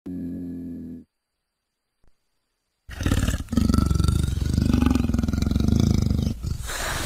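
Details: A leopard (Panthera pardus) gives a deep, raspy roar made of rapid rough pulses, after a brief low tone and a pause.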